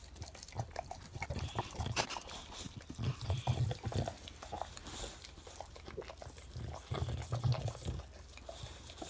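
An English Bulldog gives deep, rumbling snorts and piggy grunts in uneven bursts.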